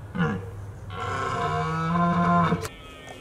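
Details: Red deer stag in Richmond during the autumn rut at peak mating season, giving a long, deep, drawn-out roar of about two seconds with a low rough tone and rich harmonics, preceded by a brief shorter grunt.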